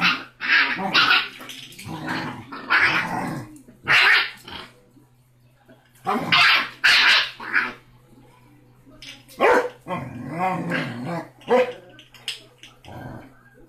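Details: Six-week-old Basset Hound puppy Rocky, smallest yet toughest of five littermates, lets out clustered bursts of shrill yapping barks and growly yips separated by short pauses, over a faint constant hum.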